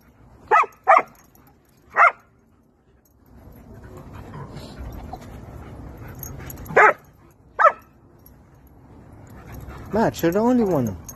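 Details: Happy German Shepherd greeting friends at a playground: five short, sharp barks spaced irregularly over eight seconds, a quieter rustling stretch between them, then a drawn-out, wavering whine that slides downward at the end.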